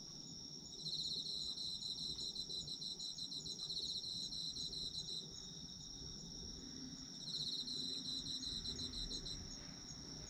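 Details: High, constant ringing from autumn insects, with a long run of fast pulsing trills early on and a shorter second burst near seven seconds, over a quiet low rumble.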